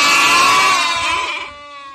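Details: Several goats together bleating: a loud, strained, wavering cry from overlapping voices, sliding slightly downward, then fading into a thinner trailing bleat.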